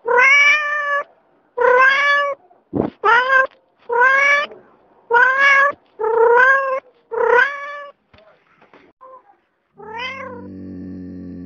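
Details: Adult domestic cat meowing repeatedly, seven insistent, tonal meows in quick succession, then a pause, one more rising meow and a low steady hum at the end.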